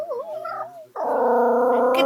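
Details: Dog met on a train, singing on request: a short wavering, yodel-like tone, then a long steady howl with rich overtones holding level to the end, with faint speech at the start.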